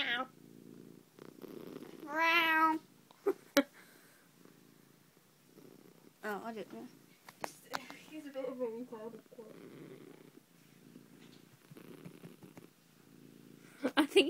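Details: Indoor cat with a steady low purr throughout, broken by several drawn-out wavering meows; a person talks softly in between and there are a few sharp knocks.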